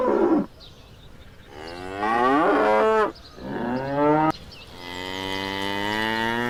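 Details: Farm cattle bellowing: a brief call opens, then a wavering moo from two to three seconds, a shorter one after, and a long sustained flat moo running to the end.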